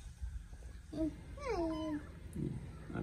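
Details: Kitten in the morning indoors, one drawn-out meow that starts higher and slides steadily downward over half a second, with soft murmured speech and low room rumble around it.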